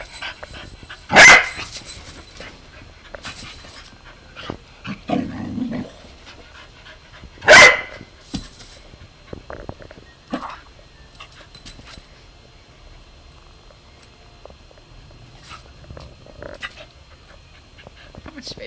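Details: A 3-year-old corgi discovering a slinky gives two sharp, loud barks several seconds apart while a person talks softly.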